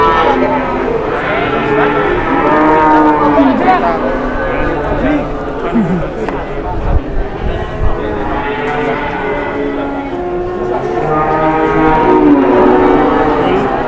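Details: Big cattle in the morning, repeated layered moos from several animals, long drawn lows rising and falling with a few brief dips, over continuous crowd noise and faint music.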